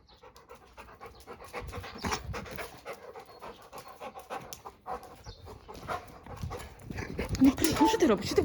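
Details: Pet Labrador Retriever enjoying itself, panting in rapid rhythmic breaths about two and a half per second, while a woman talks to it softly and short clattering noises rise near the end.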